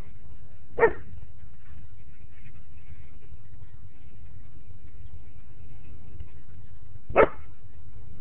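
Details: Backyard German Shepherd barking at a neighbouring dog, giving two single, abrupt, low barks spaced about six seconds apart with near silence between them.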